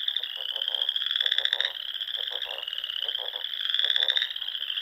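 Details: Spring dusk in the Nebraska Sandhills with frogs calling together: steady high trill layered with clicking, pulsed croaks in quick series, the whole chorus swelling and fading twice.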